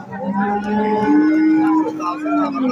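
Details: Holstein Friesian cattle offered for sale by meat weight at a cattle market. One long, steady, low moo lasts about two and a half seconds, its pitch lifting slightly midway, over a bed of market chatter.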